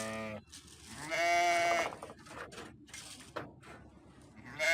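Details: Sheep bleating: a short tonal bleat opens, then a longer, loud, wavering bleat with rich harmonics around the middle, followed by quieter broken calls and a fresh bleat starting at the end.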